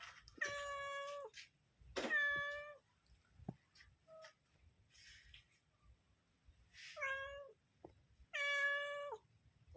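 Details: Mother cat searching for her kittens, giving long drawn-out harmonic meows, steady and slightly falling at the end, in irregular bursts separated by a few seconds of near silence with light tapping sounds.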